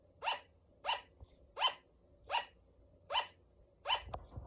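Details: Six evenly spaced yapping barks from a female pet sugar glider named Luna, each short and high-toned, coming roughly every 0.7 seconds, with a faint thump near the end in a quiet room.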